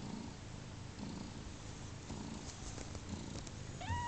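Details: Newborn kittens of a cat named Pluma, just over 30 hours old on their second day of life, indoors. Soft low rhythmic pulses roughly once a second, like purring, then one short rising mew at the very end.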